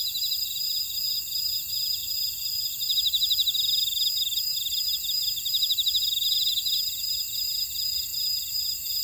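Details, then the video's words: Grass insects sing in a buckwheat field at Ora-dong on Jeju, South Korea's volcanic island. Pulsed chirping trills rise and ebb in waves over a bright, continuous high-pitched hum. "제주 메밀밭의 풀벌레 소리"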